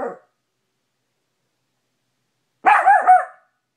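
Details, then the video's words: Cash the Maltipoo, facing his mirror reflection in a bedroom, lets out a clipped bark, falls silent, then fires a quick triple burst of high-pitched yaps. "Cash maltipoo barking at mirror"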